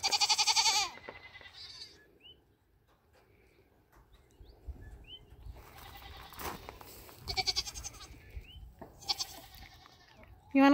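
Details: Nigerian Dwarf dairy goats on New Year's Eve 2020, in their first minutes near a buck for breeding. A loud, harmonic, wavering bleat opens the clip, followed by quieter background sounds and more bleats near the end.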